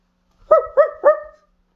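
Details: A male Siberian Husky gives three quick, rising-falling yelping calls in a row, clear and harmonic.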